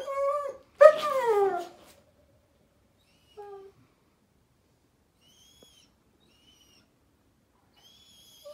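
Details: Daisy, a German Shepherd puppy, cries at bedtime on 15 May 2021: a short high whine, then a louder whine sliding downward with rich overtones, and a brief faint whimper afterward in a quiet room.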